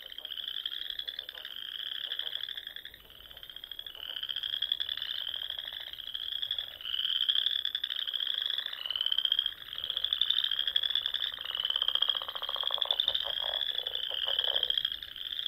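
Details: Frogs singing at dusk in spring among the rolling dunes and small ponds of Nebraska's Sandhills: a dense chorus of overlapping trills, rising slightly and pulsing in waves every two seconds or so, with lower croaks underneath.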